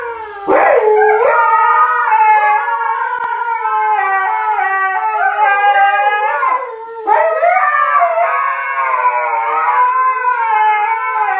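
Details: Siberian Husky, possibly several, howling loudly and continuously with wobbling, overlapping tones that bend up and down, a short dip in volume midway before the howling resumes.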